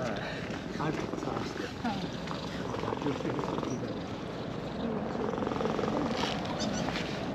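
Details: Brown-and-white cat in a park purring with pleasure while being stroked after walking down a slope: steady, continuous low rumbling purr, with a person speaking and a constant background hum.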